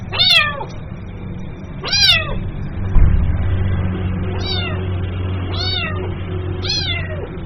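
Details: Young kitten calling for its mother with five piercing meows, each dropping in pitch. The first two are louder and the last three come in quicker succession, over a low background hum.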